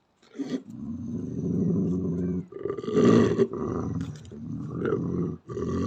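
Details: Fierce, angry growl of a female Belgian Malinois, not provoked: continuous rough, rumbling snarl rising and falling in intensity, peaking in a harsh roar-like surge around the middle, with brief breaths between phrases.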